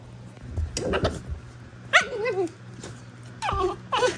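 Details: Prisca, a female Basenji putting on a tough act, gives wild-dog-style squeals: short bursts of wavering, yodel-like whines that bend up and down, with a low growl-like rumble near the start and a steady hum underneath.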